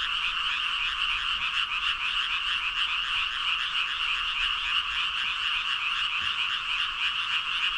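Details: Some 5,000 frogs in full chorus, countless ribbit calls overlapping into a dense, evenly loud pulsing drone, faint low background rumble beneath the chorus.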